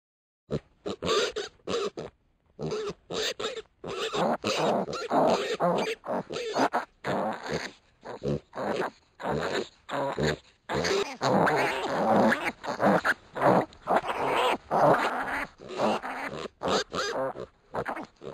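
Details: One-week-old pot-bellied piglets wrestling, giving rapid bursts of harsh, gruff grunts and squeals in irregular runs of short calls, with brief pauses between scuffles throughout.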